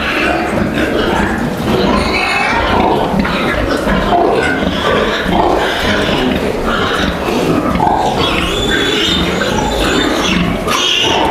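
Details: Three-breed crossbred piglets of Landrace and Yorkshire stock at a farm around evening feeding; a litter keeps up continuous overlapping squeals and grunts, some sharper high squeals standing out, over constant barn noise and a brief voice.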